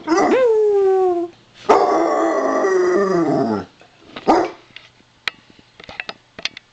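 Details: Basset Hound saying hi in a distinctive chuckle-like howl: a rising then level cry, followed by a long harsh wavering howl that slides down, then a short yelp and scattered clicks in a quiet room.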